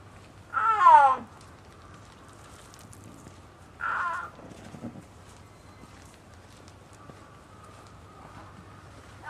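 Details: Female snow leopard Liebe, aged 21, at Hamamatsu City Zoo, walking outdoors on a rainy summer afternoon. One brief, falling yowl opens the recording, followed by a fainter short sound and long quiet stretches with low background hum.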